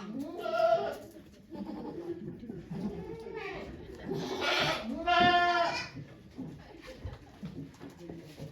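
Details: Goat bleats on Yoshigake farm on 3 May 2023 as the goat Okayu gives birth to two kids while many volunteers watch; two loud, wavering, harmonic-rich bleats near the start and middle, with people talking quietly throughout.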